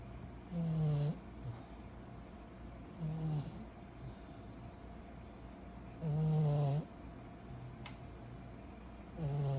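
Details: Sleeping 14-month-old pug puppy snoring like a human: loud low rattling snores every three seconds or so, each with a brief whistling overtone, over steady room hum.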